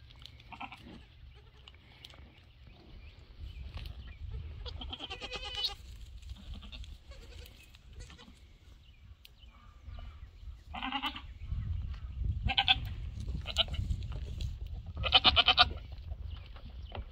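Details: Goats bleating as Rosie, a two-week-old mini Nubian kid, meets and plays with a Nigerian Dwarf herd on a farm. Scattered short bleats, some high and strained, come amid rustling, low rumbling noise and a person's voice.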